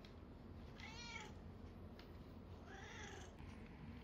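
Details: A 14-year-old female red tabby cat trying out a massage product at home; two soft, drawn-out meows with wavering harmonics, the second lower and longer, over a quiet room hum.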